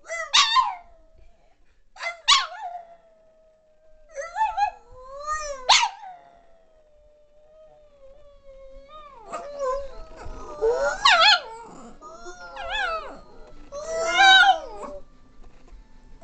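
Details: A female Boston Terrier sings along in a duet, howling in long, wavering tones that slide up and down, with sharp yips between.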